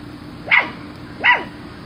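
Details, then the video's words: Miniature Schnauzer giving two short, sharp barks about three-quarters of a second apart, each rising quickly and dropping away, over a steady low background hum. "Miniature Schnauzer - The Most Exciting Sounds That Make Dogs React"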